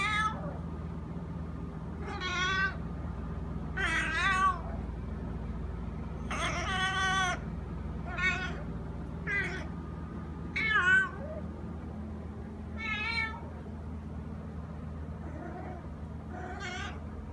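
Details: A male domestic cat that meows like this all day, sometimes from 6 am, calls about ten times. Its wavering, nasal meows come every second or two, some long and loud, others brief, with a low hum beneath.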